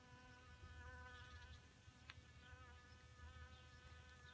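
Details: Honey bees drinking from a small pond at their watering hole, recorded in May. A steady, low buzzing hum with evenly stacked overtones runs throughout, and faint chirps sound in the background.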